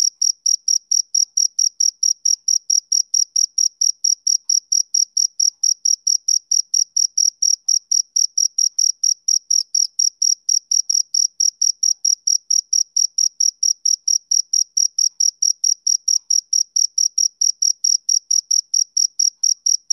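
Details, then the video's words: Twenty seconds of uninterrupted male cricket chirping: shrill, evenly spaced pulses at a constant pace and loudness, with a faint higher overtone over a silent background. "Cricket Chirping Sound Effect"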